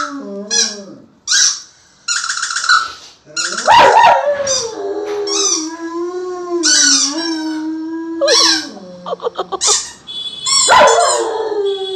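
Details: Male German Shepherd pet singing in reply to a squeezed squeaky toy, holding a long, steady, mournful howl for several seconds, with bursts of shrill toy squeaks before and after.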